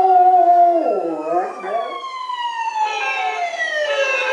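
A Golden Retriever howls in long, wavering tones that slide downward, mixed with a wailing siren.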